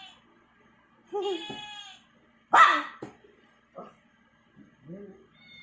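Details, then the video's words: A pet dog making what are described as annoying sounds: a long harmonic whine, then a sharp loud yelp near the middle, followed by short softer whimpers and a brief closing whine, all indoors with quiet gaps between. "the Cute Dog | Annoying sounds"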